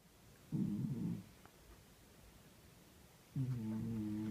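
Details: Pet cat snoring in its sleep: two low, rough, droning snores about three seconds apart, each lasting under a second, with quiet room hush between them.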